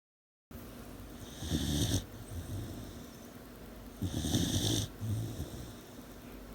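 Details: Aida Coronita, an 18-week-old puppy, snoring in her sleep at night: two long rasping breaths with low rumble and airy hiss, about two seconds apart, between quieter breathing.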